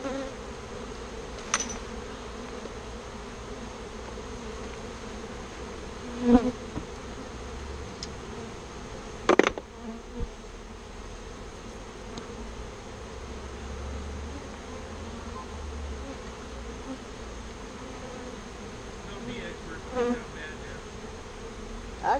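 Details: Bees moved from a birdhouse into a bee box give a steady, even droning hum throughout, with a few sharp knocks and taps from the work.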